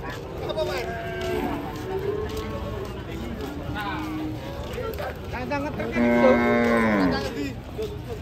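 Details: Giant cattle during loading: a loud, drawn-out moo with rich harmonics that falls in pitch near the end, after softer lowing amid people talking and general crowd and vehicle noise.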